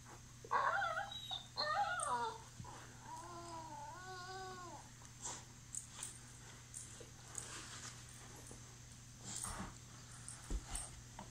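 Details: Staffordshire Terrier at play with a Lab mix, two squealing yips followed by a wavering whine, then scattered soft thumps and scuffling sounds of play with a steady low hum behind.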